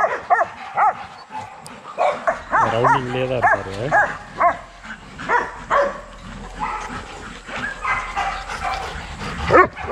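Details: Kennel-raised young Rottweilers working out in their exercise yard give scattered barks and yips, with a drawn-out whining or voiced sound in the middle and a little human speech.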